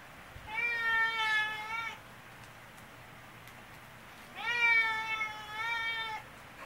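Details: Loud, drawn-out meows from Choko, a talkative brown tabby cat seeking affection indoors; two long, steady, harmonic-rich calls, each lasting well over a second, separated by a pause of about two and a half seconds.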